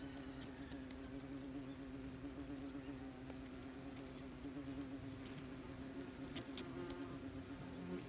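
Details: Many wasps busy at a nest, recorded up close: a constant, even low-pitched buzzing drone throughout, flecked with brief crackles and ticks.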